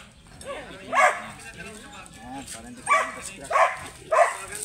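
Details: Grey sable Belgian Malinois offered for stud service in Bisal, Manaoag, Pangasinan. A single bark, then three more in quick succession near the end, over low background chatter.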